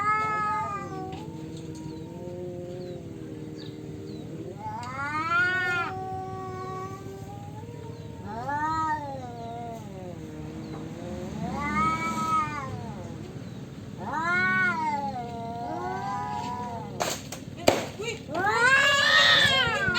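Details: Male domestic cats quarrelling for territory trade a series of arched, moaning yowls, some low and drawn out, others rising into shrill howls, roughly every two to three seconds, with a few sharp knocks near the end.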